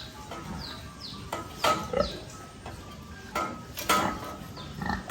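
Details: Cute little piglets on a rural pig farm: short, high, downward-sliding squeals and rough grunting bursts come in irregular clusters, with a faint steady tonal hum underneath.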